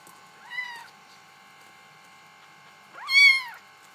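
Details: Bengal kittens: two arched, tonal meows a few seconds apart, the second louder and longer, over a steady faint electrical hum.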